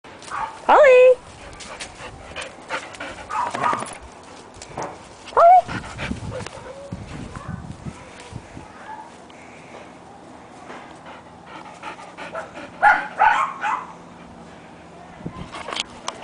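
A panicking Golden Retriever gives sharp, high whining yelps that slide downward, with human voices behind.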